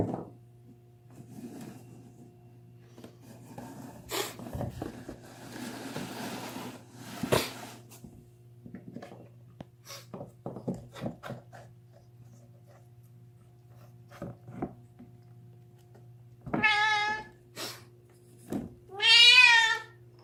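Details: A deaf cat screaming while gnawing on a bone, indoors in a small room: scattered crunching and chewing clicks with snuffling breaths, then two loud harmonic wailing yowls near the end, the second longer and wavering, over a steady low electrical hum.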